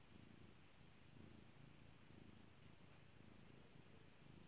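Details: Domestic cat named Kairi purring while being petted indoors: a steady low rumbling purr, pulsing in soft waves roughly once per second, with no other sounds.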